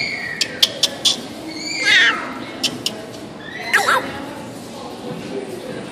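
A meerkat gives two squeaky, bending chirps, with sharp clicks and taps before them.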